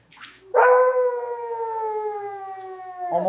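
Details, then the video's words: Dog on fresh green grass, said to be puppies at play: one long, steady, tonal howl held for about two and a half seconds, ending in a brief rougher burst, with a soft praising human voice around it. "Dog barking sounds"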